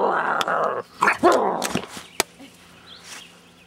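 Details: Karelian Bear Dog puppy named Kara, a pet, growling while playing: a rough, sustained growl lasting under a second, followed by a few short sharp yelps and clicks in a quiet indoor space.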